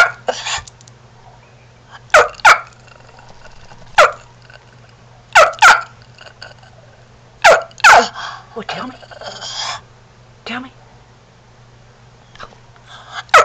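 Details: A 4-year-old male Shih Tzu that never mastered barking gives short, sharp, slightly hoarse barks, often in quick pairs, over a low steady hum; his bark is likened to a chicken, turkey or rooster.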